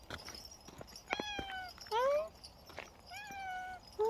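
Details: Cat meowing indoors; a few short, tonal mews with rising then level pitch, spaced about a second apart, over low background noise with faint clicks and taps.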